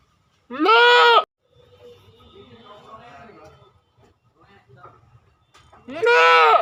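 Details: Two strong, nasal goat bleats, one near the start and one at the close, each about a second long with an arched, quavering pitch; faint chatter and low rumbling sit in the quiet gap between them.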